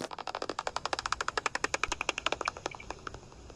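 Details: Common pipistrelle, judged by a 46 kHz reading, forages overhead just after sunset on a garden night walk; its echolocation, made audible through a bat detector, comes as rapid dry clicks likened to blowing raspberries.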